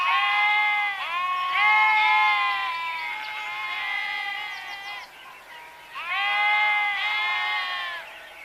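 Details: Sheep bleating in a run of linked, wavering cries for about five seconds, falling quieter, then after a short pause two more loud, quavering bleats.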